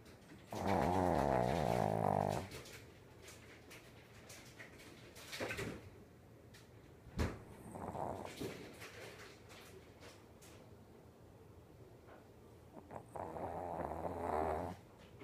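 A Shih Tzu snores in loud, rattling, drawn-out bursts that sound almost like a cow lowing.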